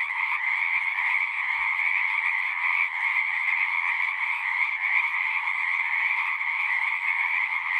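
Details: A pond chorus of numerous frogs in a horse pasture, captured with a Zoom recorder: continuous overlapping croaking trills forming a thick, even wall of sound in two pitch bands, with no other clear sounds.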